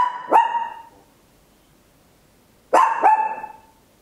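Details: Loud barking from a small Papillon indoors, Olympus LS-11 stereo recording: two sharp, bright barks with a ringing tail, separated by more than two seconds of silence.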